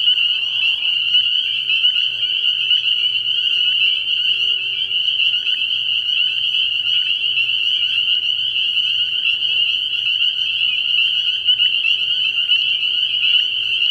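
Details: Early-year frog pond after dark, many spring peepers calling at once: a thick, constant wall of high piercing peeps, with a faint low hum and a brief lower sound in the background.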